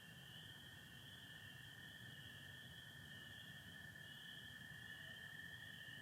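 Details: Nighttime chorus of spring peepers in Michigan, April 24, 2025: thick, high, ringing peeps blend into one continuous sound, joined by an unbroken lower trill of American toads.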